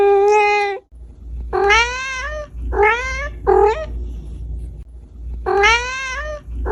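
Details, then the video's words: Meowing of a domestic cat, compiled to attract pet cats: loud, drawn-out rising meows, several crowding together, with a steady low hum underneath. "Cat meowing sound 🐱 - Sound Effects cat meow sounds 🎵 | Turn on the sound for the cat 🐾 meow meow"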